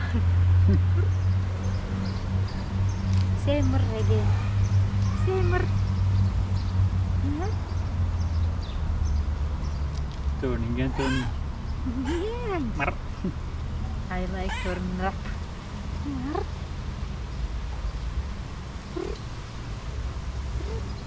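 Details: A black-and-white tuxedo cat, female, talks back to a person with cute meows. Scattered rising and falling mews and chirpy calls appear between bursts of speech over a steady low hum.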